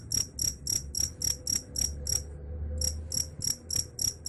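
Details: Cricket chirping, reputed to drive off rats: quick high pulsed chirps about three per second, a half-second pause, then the run resumes, with low hum underneath.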